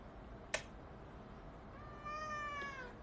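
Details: Domestic cat giving a single drawn-out meow that rises slightly and then falls. It comes after a sharp click, over a quiet indoor background.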